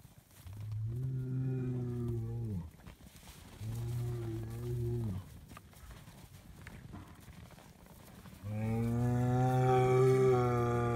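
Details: Highland cattle bull on a farm in Finland, given bread, bellowing: two deep, steady harmonic moos of about two seconds each, then a longer, louder third moo rising slightly in pitch.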